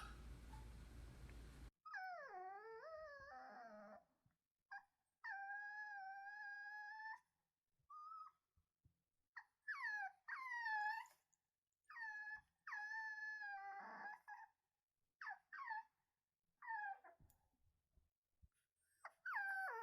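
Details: Lonely puppy crying after a brief burst of noise: long, steady, high-pitched whines, some sliding down then holding level, others rising and falling, broken by short gaps and little yips.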